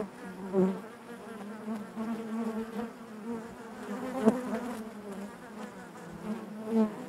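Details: Hive interior full of honey bees, a constant low buzz with short louder swells every second or two as single bees pass close, plus a faint tap midway.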